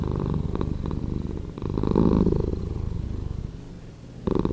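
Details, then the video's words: Slowed-down purr of a pet cat, a steady low throbbing drone whose volume rises and falls with the breathing, one stronger swell in the middle and another building at the end. "Cat Purring"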